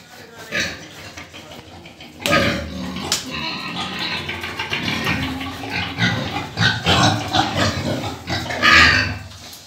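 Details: Desi crossbred pigs grunt and squeal in rough, irregular bursts during pig catching in Sikar, India, with people talking nearby.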